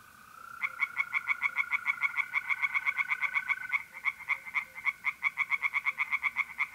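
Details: Mid-April night chorus of tree frogs in a north-east Italian pond: loud, quick-fire nasal croaks repeated several times a second without break, overlapping callers, and a sustained mole cricket trill in the background.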